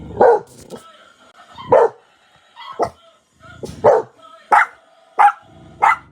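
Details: A dog barks at dogs on TV in short, sharp bursts, roughly one every second, with a faint background tone.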